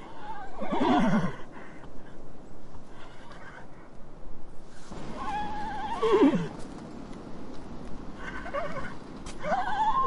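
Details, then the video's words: Horse neighing: three loud whinnies, each a shaky, quavering call that slides downward and fades, roughly five seconds apart, over a low rumbling background. "Horse, Elephant, Cat, Dog, Cow - Animal sounds"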